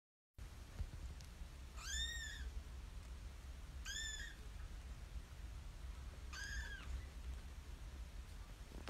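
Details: Tiny kitten giving three clear, rising-then-falling meows spaced about two seconds apart, each bright and harmonic, over a steady low rumble and faint background hiss.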